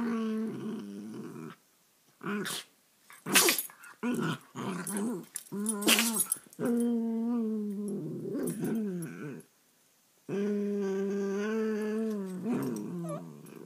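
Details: Two young rescue dogs, Sammy a rat terrier/Boston terrier mix and Tiki a beagle/Boston terrier mix, play-fighting indoors; long harmonic growls and whining growls come in bursts, broken by thumps, scuffles and short gaps.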